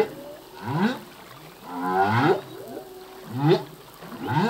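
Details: Male humpback whale singing at sea, part of a full-length song whose phrases change each year: rising, swooping moans and whoops repeating roughly every second and a half over a low background hiss.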